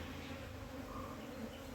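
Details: Low, continuous buzzing of honey bees while a wild colony is hived into a box, the hum partly blended with a deep rumbling background.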